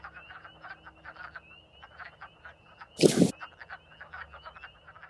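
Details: In spring, on 14 March 2024, a wood frog chorus calling from farm vernal pools gives rapid, hoarse, duck-like clucks that overlap in a steady chatter, with spring peepers singing in the background.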